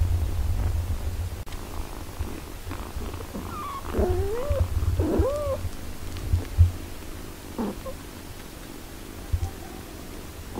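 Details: Nursing mother cat with her healthy eight-day-old kittens; a low continuous purr with a few thin, wavering kitten mews rising and bending midway, then soft scattered squeaks.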